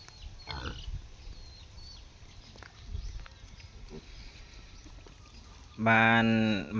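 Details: Wild boar cross piglets, about one month and five days old and nearly ready for weaning, raised on a farm. Low rustling and faint speech, then a loud, harmonic squeal bursts out near the end and lasts about a second.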